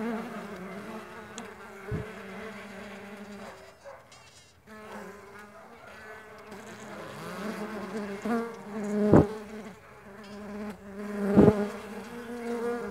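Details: Low droning buzz of flying Mandaçaia stingless bees that thins out briefly around four seconds, then returns, with sharp taps at about nine and eleven seconds.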